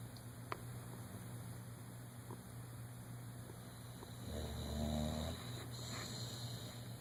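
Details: Dodger, a one-year-old dog asleep and dreaming in REM, gives one short, buzzy, rumbling snore near the end after quiet breathing and faint clicks, over a steady low hum.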